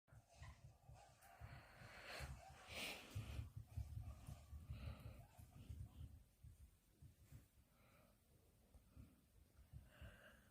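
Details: Sleeping dog snoring: low, rough rasping breaths repeating roughly every second or so, loudest early on and fading toward the end, with faint soft hissing in between.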